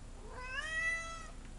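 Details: Pet cat Ginger meows once while angry and eager to get outdoors, a long rising then gently falling plaintive cry lasting almost a second in a quiet indoor room.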